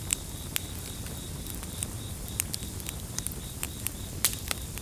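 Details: Crickets in a gentle chorus, a thin high pulsed trill running steadily under loud crackling and popping of a campfire, with sharp snaps every fraction of a second and a low rumbling bed of fire noise.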